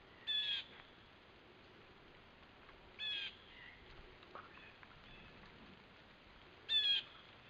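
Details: A red fox gives harsh, hoarse single barks, each spaced a few seconds apart, as an alarm call, recorded 12 September 2015.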